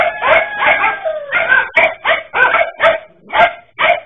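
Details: Several dachshunds facing a king cobra keep up a volley of high, harsh barks. Some are drawn out into whining howls, and a new bark comes roughly every third of a second.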